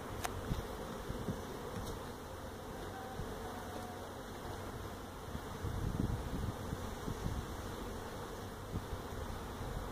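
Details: Honey bees from a feral hive built inside a stack of tractor tires at a citrus orchard in Mission, Texas, heard during hive removal: a steady, dense low hum of many bees with brief faint knocks.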